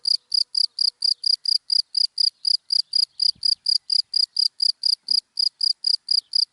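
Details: Cricket in dry grass during the day, giving a steady run of short, high-pitched chirps, roughly two per second, evenly paced over an otherwise quiet background.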